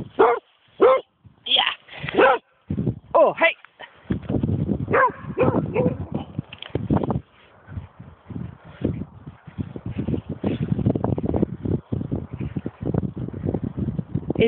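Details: Dog barking: a run of sharp, loud barks in the first few seconds, then overlapping people talking in Swedish with further softer barks and yips under the voices.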